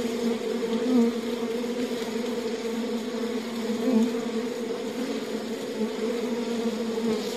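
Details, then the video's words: Honey bees inside a beehive: a dense, steady buzzing drone with strong low hum bands, many bees together, small swells in loudness around one and four seconds, no other sounds. "Buzzing World of Bees: Beehive Ambience"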